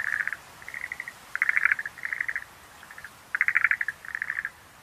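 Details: Schlegel's green tree frog giving bursts of fast, rattling clicks, each train lasting under a second, with brief gaps between them and a quiet hiss of background noise beneath.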